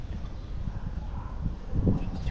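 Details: Black female cat, affectionate and loving, purring while turning around her owner; a low, close, steady rumbling purr with fine rapid pulses throughout, a brief scuffing rustle near the end.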